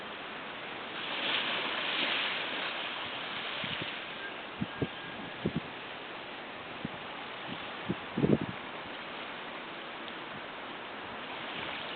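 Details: Steady wind and surf hiss with a few soft knocks and clicks, and no animal voice.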